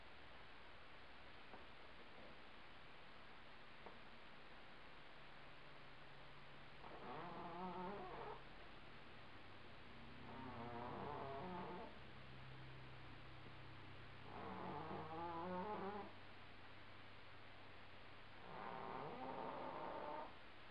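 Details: Indoor housecat snoring loudly, with four drawn-out rasping, harmonic snores spaced about three to four seconds apart over a quiet low room hum.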